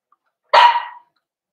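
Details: During a puppy-pen socialization session with larger dogs, 13 December 2022, a Cavalier King Charles Spaniel gives one short, bright bark that trails off quickly into silence.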